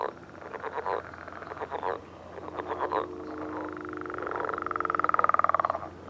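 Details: Several frogs giving mating calls on a millrace one morning: clusters of rapid pulsed croaks, then a rising, increasingly loud rattling trill with clearly separated pulses.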